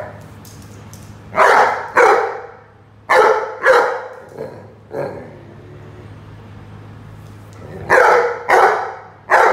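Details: Rhodesian Ridgeback at play with a watering can, barking in rapid clustered pairs and triples, with a few faint yips between loud bursts and a constant low hum behind.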